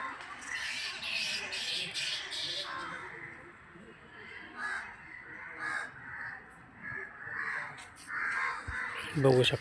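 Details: Harsh, raspy screeches from a large colony of bats in shady, densely treed temple grounds at Siddheshwar temple, Solapur city, come in rough bursts, with a man talking over them.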